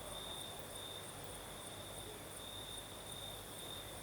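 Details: Crickets singing at night in southern Crimea with a night breeze: a steady, unbroken high trill with a fainter shimmering upper layer, under a constant soft hiss.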